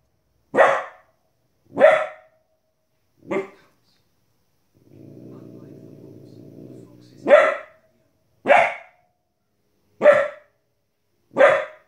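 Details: Young female Border Collie, 15 weeks old, barks at animals on the TV: three quick barks, a pause filled by a TV narrator's voice, then four more barks at a steady pace of roughly one per second.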